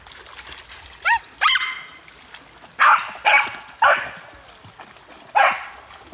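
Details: An Australian cattle dog barks at river water, as if bossing the water around, giving sharp, loud barks in short bursts with a faint whine before them.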